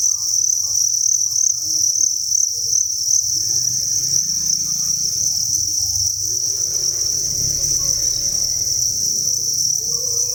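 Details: Inside a cricket breeding facility, massed crickets sustain a continuous piercing trill; low rumbling and a faint hum run beneath, growing busier midway.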